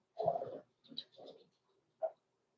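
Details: Six-week-old blenheim Cavalier King Charles Spaniel puppies, Roman and Blue, born November 14, 2022, indoors in a home puppy pen; a short, loud yelp is followed by two softer yips, a pause, and one brief sharp yip.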